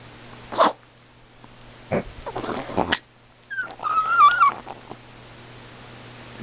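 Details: A female Chihuahua, demanding and excited, howls as if imitating a wolf. Scattered bumps and rustles come first, then a wavering, nasal howl that rises and dips for nearly a second.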